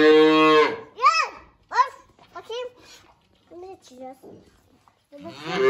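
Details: Hungry calves at feeding time give loud, bright, harmonic bleating moos in quick succession: a long opening call, then short rising-falling cries, a brief pause and another drawn-out moo at the end.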